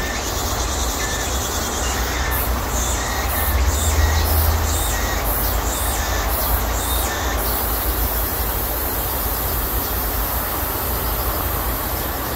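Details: Cicadas singing in a persimmon orchard at midsummer, their peak chorus a sign that summer is passing: a high, shrill buzz pulsing in rapid rhythmic bursts for about seven seconds, then an even hiss over a steady low rumble.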